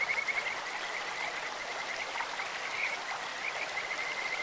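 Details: Kajika frogs in a clear-flowing stream, their call likened to a bird or insect: rapid high warbling trills at a steady pitch, several overlapping bursts, set against the hiss of running water.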